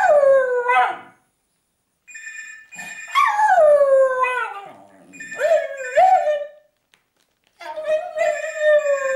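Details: Rescue dog Bridie at West Cork Animal Welfare, Ireland, howls to alert that the phone is ringing: long falling, wavering howls with rich harmonics, broken by pauses, while a telephone rings repeatedly alongside.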